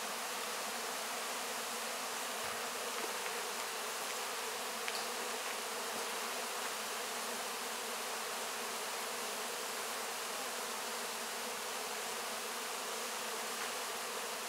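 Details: Honey bees working over wax cappings after the 2024 honey harvest, filmed very close; a constant, dense buzz of many insects holds steady, with a faint soft rustle now and then.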